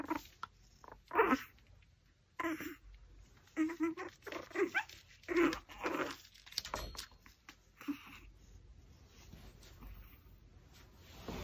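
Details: Pomeranian dog eating a raw pork backbone indoors, giving a series of short, tonal whimpering bursts with clear harmonics, spaced unevenly across about eleven seconds, with chewing and crunching clicks between them.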